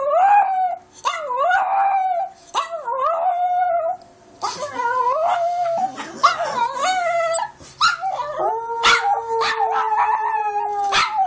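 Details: Foxy, a pet dog, recorded by Android phone, gives a series of quavering howls, each rising then falling, mixed with yelps and whimpering breaks, ending in a long sustained level wail.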